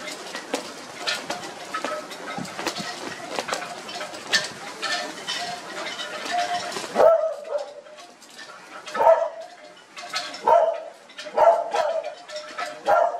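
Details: Australian Cattle Dog puppies piled together, giving short high whimpering yelps, several close together, with rustling and shuffling throughout the first half, then quieter with spaced squeaks.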